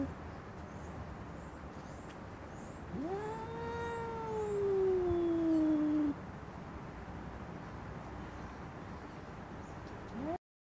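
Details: Female cat fighting over a garden seat, one long yowl that rises then glides downward for about three seconds amid quiet background noise and faint distant chirps.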